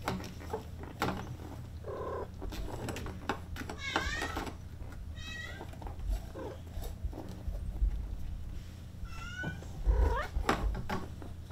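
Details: Brown female Maine Coon kitten, 36 days old, kept by a breeder in Tokyo, gives thin high meows, several short rising-falling cries spread through the clip, over household rustling and handling noises.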